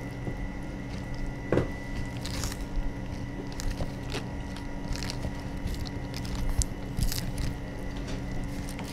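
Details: Radiated and star tortoises at an aquarium in Ikebukuro, Tokyo, feeding, with scattered soft crunches and wet bites every second or so over a steady low mechanical hum.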